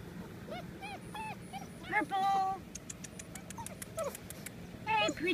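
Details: Golden Retriever puppies giving a run of short, high whimpers and yips, each sliding downward, several overlapping and irregular, with sharp squeaky sounds and brief bursts of a person's voice.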